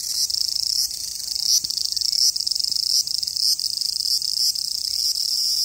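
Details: Summer cicada in Japan, a dense, high, shrill buzzing drone, rapidly pulsed and nearly continuous, with brief dips and surges roughly every second.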